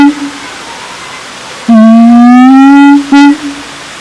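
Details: At Taman Kyai Langgeng, Magelang, Indonesia, a siamang utters one sustained whoop that climbs gently in pitch for over a second, followed by a short abrupt hoot, with soft background hiss.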